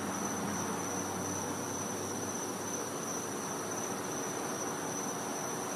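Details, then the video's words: Winter night chorus of cicadas in a Floridian back yard. A continuous high, even-pitched drone runs the whole time without pause, set against heavy background hiss with a soft low hum underneath. "Cicada Sounds"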